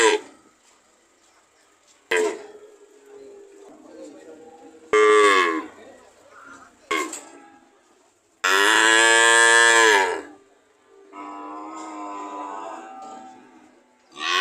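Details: Cows mooing on a farm: several loud, harmonic moos of varied length, the longest about two seconds near the middle, separated by quieter lowing and short pauses.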